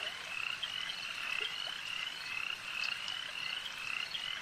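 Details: A lakeside frog chorus: many voices produce quick, high croaking pulses in rapid succession, with a few brief louder notes standing out against the steady massed calling.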